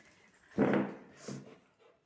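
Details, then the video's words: German Shepherd puppy, angry at not being given food, gives one short sharp bark indoors, followed by a softer second yelp about half a second later, then quiet. "German Shepherd Pupp so angry bcz of not giving food"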